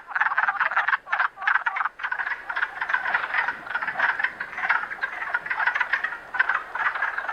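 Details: A dense chorus of Wood Frogs in Canada on 21 April 2015 gives rapid, overlapping duck-like clucks and chuckles in waves with brief lulls. They have emerged from hibernation in warm weather to mate in temporary forest pools.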